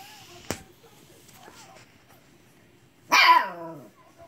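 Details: Siberian husky puppy mad at an old cat for not playing; a sharp click, then one loud yelping husky puppy bark that slides downward and fades, in a quiet indoor room.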